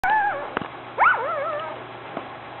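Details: New puppy giving two high, tonal whines, the second sliding up sharply then wavering down into a drawn-out, quavering cry, with a soft click between them and a quiet room hum.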